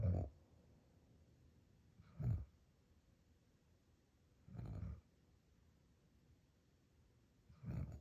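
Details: Sleeping dog Loki snores in a quiet room, giving four short, deep, raspy snorts at a steady pace of roughly one every two and a half seconds, with near silence between breaths.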